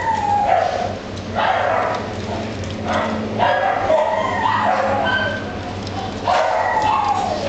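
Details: Italian Greyhound whining in short, falling, nasal tones, repeated roughly every two to three seconds against a constant low hum and noisy background.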